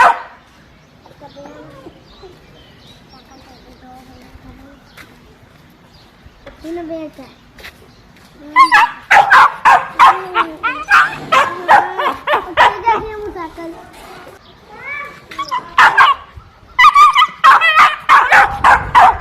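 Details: Dogs barking: after several quiet seconds of soft whining, voice-like sounds, a burst of sharp, harsh barks begins, quick and uneven, about three a second, with short pauses between runs.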